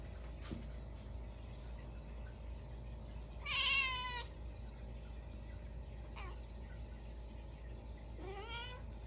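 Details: Munchkin cat indoors at midnight on a snowy day, after a stink bug got into the house: two meows with rich harmonics, the first longer and wavering, the second rising at its end, with a faint tap early on and quiet room hiss.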